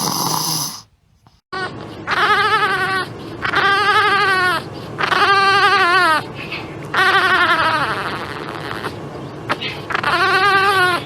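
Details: Cries of newborn puppies delivered by caesarean section, up to four days old: a dense run of long, wavering, harmonic wails, several overlapping or back to back, after a short opening of noise and silence.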